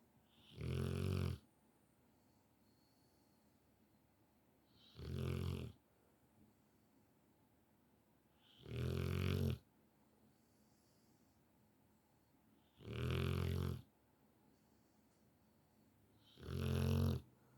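A sleeping Rottweiler snores loudly, each deep rasping snore coming about every four seconds.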